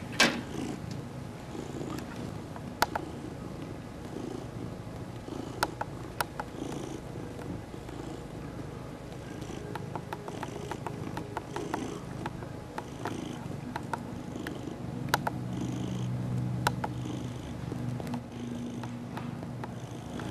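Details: A 3-year-old male mackerel tabby cat purrs while kneading a catnip-infused knit pillow and being rubbed. The low, steady rumbling runs throughout, broken by occasional sharp clicks and rustles.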